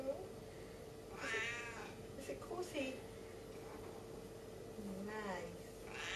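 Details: Stubborn Siamese cat Saskia talks back while holding onto her hat: two harmonic meows about four seconds apart, the second bending up and down, mixed with a person's voice and light clicks indoors.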